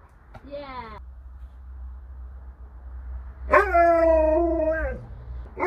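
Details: Alaskan Malamute named Sherpa at home, giving a short falling whine then, after a pause, a long howl-like vocalisation with a steady tone and rich harmonics that drops at the end; low hum underneath.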